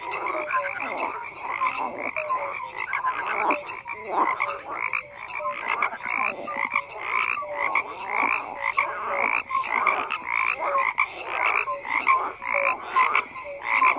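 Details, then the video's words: Frogs croaking en masse, a continuous mix of rasping pulsed calls and short clear notes, the bursts coming roughly every second in a steady rhythm throughout. "FROGS CROAKING"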